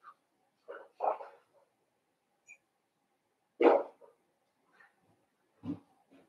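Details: Indoor pen of blenheim Cavalier King Charles Spaniel puppies, born on New Year's: a cluster of short yaps, then one louder bark midway and a lower gruff bark near the end, with quiet gaps between.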